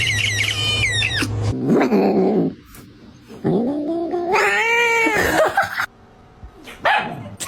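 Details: Domestic cat making funny sounds indoors: rough, wavering yowls and a rising drawn-out wail, mixed with people talking and laughing nearby.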